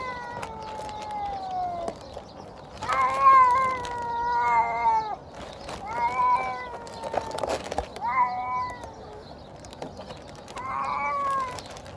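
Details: Hungry feral stray cat calling at feeding time: a long falling meow, then a series of wavering, harmonic cries in bursts roughly every one to two seconds, with scattered clicks and rustling.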